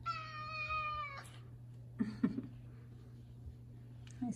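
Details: A five-year-old male F2 Savannah cat at home in the morning, loudly asking for chicken early: one sustained, even meow of about a second, then near quiet with faint knocks and a low hum.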